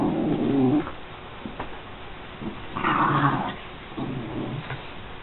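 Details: An American Eskimo Dog makes a few moaning, growly calls, one loud low burst, then a higher brighter one, then a softer low grumble, with faint background noise between.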